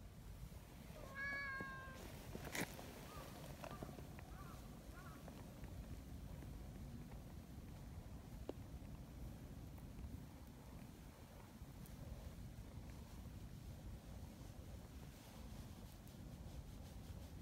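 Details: Friendly, affectionate community cats in Japan on a cold morning, running along a mountain path to their gathering place; a single short, clear meow early on, then quiet outdoor ambience with faint rustling and soft knocks.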